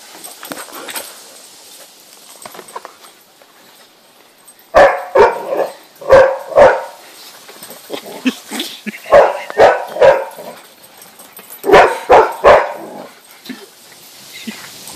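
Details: Wet Rhodesian Ridgeback puppy on a trampoline, giving bursts of short barks and yips in clusters of two or three, starting after a quiet opening and recurring every second or so, with faint background noise.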